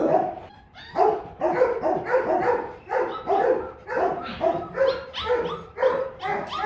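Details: Guard-dog Rottweilers at a kennel in Vietnam bark steadily, roughly one bark every second or two, overlapping voices of more than one dog, little other sound.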